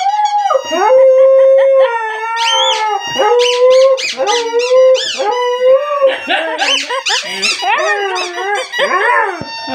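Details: Pet dog reacting to a funny sound played to it, giving loud tonal howls and squeaky whines that waver and rise, with sustained mid-pitched notes early on and a rapid run of higher squeaks later.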